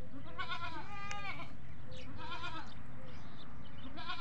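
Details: On a farm keeping goats and baby goats, overlapping nasal bleats with strong stacked harmonics repeat through the short stretch, one wavering cry sliding downward, several animals calling against steady low-frequency noise.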